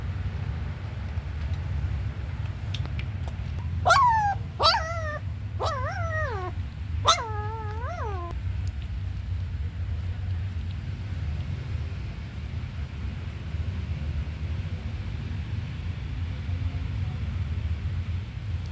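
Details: Puppy raised on milk powder and growing slowly gives four high, drawn-out whines in quick succession, each bending up then down, clustered in the first half and followed by quiet, over a steady low rumble.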